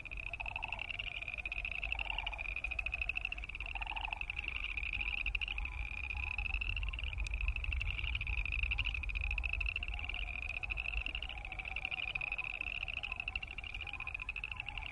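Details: Many boreal chorus frogs croaking at once, recorded where Wilson's snipe and sandhill cranes also sound: a continuous high, fast-pulsed creaky trill, with three short lower bursts spaced about two seconds apart near the start and steady low rumble.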